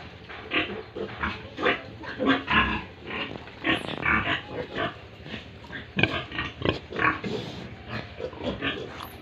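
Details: Farm pigs and piglets in Tripura grunting steadily: clipped, noisy snorts repeated roughly every half second to second, some louder than others, with a scattered crackle of movement between calls.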